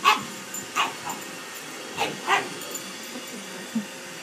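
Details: Pug barking at a robot vacuum cleaner: sharp, short barks scattered across a few seconds, a cluster of two near the middle, over a steady low machine hum.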